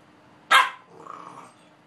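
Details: Two Boxer dogs at play: one sharp, loud bark bursts out, then drops into a softer, drawn-out growling tail that fades within a second against a quiet background.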